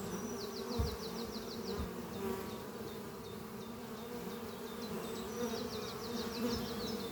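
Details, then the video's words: Spring-morning flight of honey bees at hive Doppio, a thriving colony under trees carrying pollen home: a continuous droning buzz throughout, while a bird gives quick repeated high trills near the start and end. "sound of bees flying at beehive Doppio on a spring morning"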